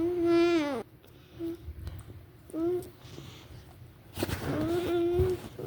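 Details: A Vizsla vocalizing in drawn-out, wavering, falling whine-howls, one long, one brief, then another long one after a pause, with faint low rumbling between.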